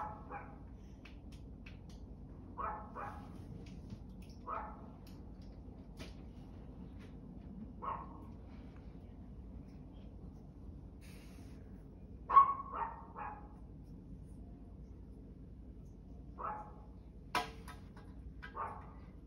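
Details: Barking dog, single and double barks every few seconds, the loudest near the middle, with a quiet hum and room noise between them.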